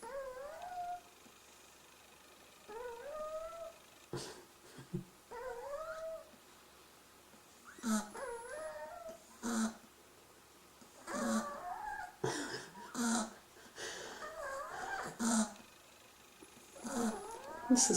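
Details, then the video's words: Sleeping three-week-old Beagle pups snore in a run of thin squeaky whistles that rise and waver. Soft puffs of breath punctuate them, and the sound grows busier and louder toward the end. "Snoring Beagle pups"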